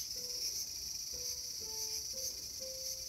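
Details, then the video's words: Garden cicada, August 5, 2020, producing an unbroken piercing high buzz. Low, flat whistled notes, each about half a second long, repeat through it at slightly different pitches. "The sound of Cicada"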